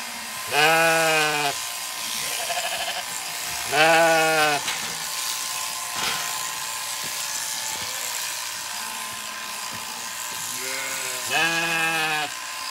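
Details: On a County Kilkenny farm in Ireland, Zwartbles sheep after shearing, as late-born lambs did not know their shorn mother; three low, strong bleats spaced several seconds apart, with a fainter answering bleat and a soft click between.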